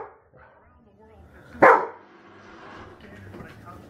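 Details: A single sharp bark from Rhodesian Ridgeback Alisa, working with a Manners Minder trainer, stands out midway between stretches of quiet human speech and faint room noise.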